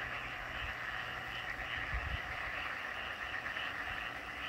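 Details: Frogs calling in Gumi-dong, Donghae, on 18 May 2024: a dense, steady chorus of overlapping trilling voices forming a continuous pulsing drone, with low wind rumble and a brief thump near the middle.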